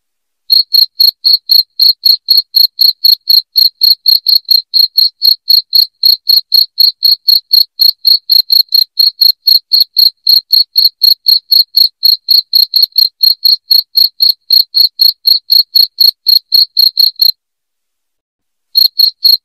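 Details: Loud cricket chirping intended to drive rats from a house; high, sharp pulses fall about four times a second for some seventeen seconds, break off into brief silence, then start again.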